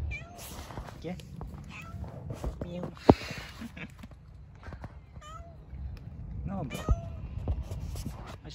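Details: Cats living in a park give several short, curving meows, each a brief rising-then-falling cry, scattered through the stretch while a person calls to them in Turkish over a steady low rumble.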